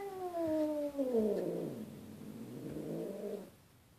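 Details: Indoor cat Boots confronting a neighbourhood cat through a glass door, giving a drawn-out falling yowl that slides lower and breaks into a rough, wavering growl before fading out.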